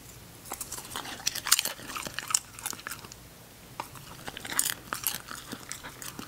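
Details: English Cocker Spaniel puppy Ginger, a female, chewing food in bursts: clusters of bright, crackly crunches, a pause of about a second, then another bout of rapid crisp bites.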